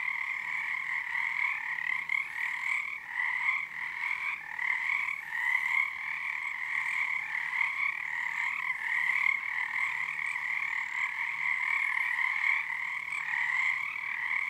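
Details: Loud frog choir at Frog Korner, Harstine Island, Washington, under the first full moon of the February 2021 season; continuous dense trilling on two steady pitches, throbbing in short synchronized surges and briefly thinning near three seconds.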